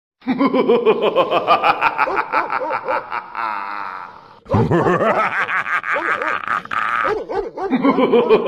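A hyena gives rapid, pulsed, giggling calls that rise and fall in pitch.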